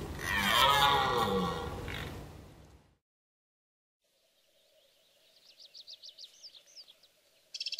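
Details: A strong red deer stag in the rutting season at Veluwe gives a loud, hoarse rutting roar, followed by a high, quick bird trill.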